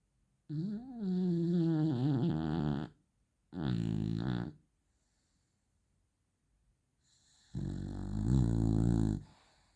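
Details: Pet Beagle snoring: three long, loud, deep rasping snores, each lasting one to two seconds, separated by silent pauses of a second or more. The first snore wavers in pitch.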